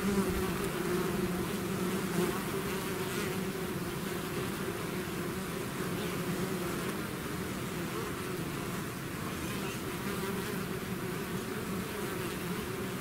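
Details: A swarm of bees pouring out of the hive makes a constant droning buzz, full and low, with slight pulsing and nearer bees whining briefly over the mass of sound.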